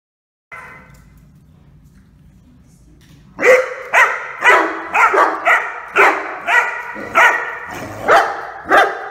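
A Rhodesian Ridgeback puppy barks in a quick run of high, sharp yaps, about two each second.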